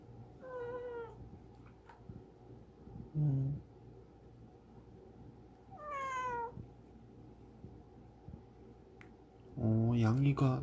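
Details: Rural yard cat, formerly a stray, recovering after being unwell the day before, greeting its owner indoors: several short falling meows spaced a few seconds apart, with a low hum beneath and a louder mixed sound at the end.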